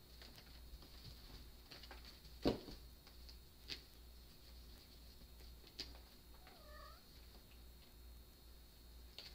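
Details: Macula, a rescued mother cat, plays with her three six-week-old kittens around a kitten tunnel. A single short, soft, wavering meow rises and falls near the end, with faint thumps and rustling from the play.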